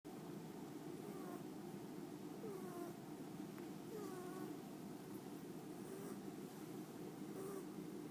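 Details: Pet cat Kiki asleep in a lap, snoring, recorded on a phone; soft squeaky whistling tones recur roughly every one and a half seconds with each breath over a steady low hiss.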